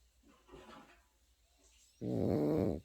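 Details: Pekingese puppy asleep, faint soft breathing followed by one loud, buzzy snore lasting under a second at the end.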